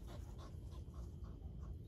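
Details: Dogs gathered at a fence, one panting in quick, breathy puffs about three times a second, steady and rhythmic over a low rumbling outdoor background.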